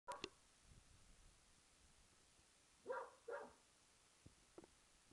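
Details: An English Springer Spaniel barks at an old tennis ball in a back garden: a sharp opening bark, a pause, then two quick, harsh barks close together midway, followed by faint soft knocks and quiet background.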